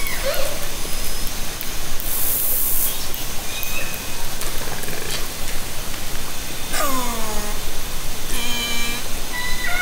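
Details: Orca calls from Haro Strait, summer 2010, captured with a hydrophone and recording system from a kayak: a brief squeak early on, then two stacked, harmonic, downward-bending calls near the end, set against constant underwater hiss and clicks.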